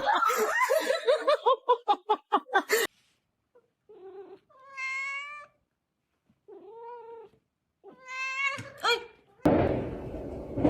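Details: Domestic cat caught on camera in a funny compilation: a rapid string of short, pulsing cries, then several separate long, clear, tonal meows rising and falling, ending in a burst of noisy hiss-like sound.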